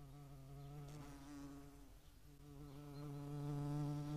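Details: European hornet visiting a feeding site, Dohr, Eifel, 11 July 2022, where median wasps also feed: a continuous, low, harmonic-rich wing drone that wavers slightly, then grows louder and a little higher toward the end, as if approaching.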